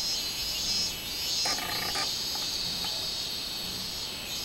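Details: Robust cicada (minminzemi) in full song, 24 July 2016: a shrill sustained buzz fills the clip. A brief harmonic, bird-like note cuts in around the middle for about half a second.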